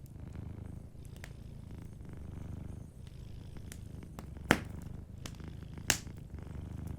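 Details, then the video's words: Soft purring of a cat asleep by the fire: a continuous low vibrating rumble, joined by scattered crackles and two loud pops from burning logs. "Warm Fireplace Ambience with a Sleeping Cat 🐱💤Fireplace & Soft Purring"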